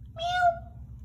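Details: A new kitten on its first day in a home gives a single clear meow, a short tonal cry that swells and then fades, with a low steady hum beneath it.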